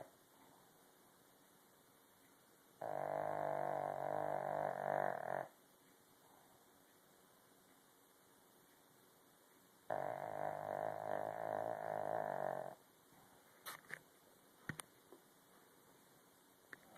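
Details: Pug named Buster asleep and snoring loudly, two long rasping, humming snores about seven seconds apart, each lasting near three seconds, quiet breathing between, faint clicks and knocks near the end, constant high hum in the room.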